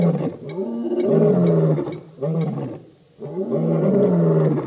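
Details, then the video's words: Roaring by the Birmingham Boys lion coalition at a dam in Djuma Game Reserve, Sabi Sand, South Africa, August 2016; three loud, rough, low groaning roars separated by short breaths, pitch dipping toward each end. "Birmingham Boys roaring at the dam over 3 hours"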